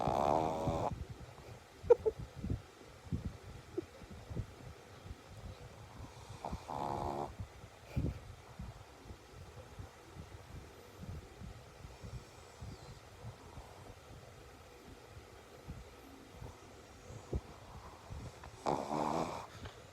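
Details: Shih Tzu (Canis familiaris), snoring.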